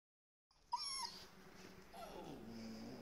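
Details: Lively, playful Golden Retriever puppy that always wants to play: a brief high whimper with bright overtones, a short pause, then a lower, drawn-out descending whine over faint household rustling.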